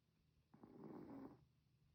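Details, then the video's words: Sleeping pet Chihuahua snoring, one raspy, nasal snore lasting under a second with a buzzing wavering tone, quiet breathing before and after. "snoring 😴"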